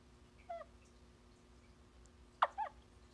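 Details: Male Theloderma corticale, the Vietnamese mossy frog, calling while standing guard over eggs laid by an amplexed pair: two short, faint chirping clicks about two seconds apart, the second louder and doubled, over quiet background hum.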